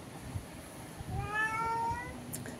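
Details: House cat at a window, calling to another cat outside: a single drawn-out meow with a clear harmonic stack, rising slightly then falling, against a quiet indoor background.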